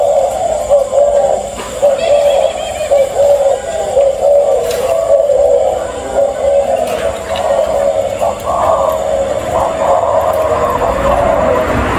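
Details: Steady synthetic, song-like music with a droning mid-pitched tone throughout, and no clear animal calls.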